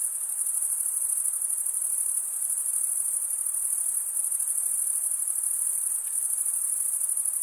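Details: Chirping crickets, the sound made by wing stridulation: a constant sharp high trill, finely and rapidly pulsed, dominating throughout with no other clear sounds.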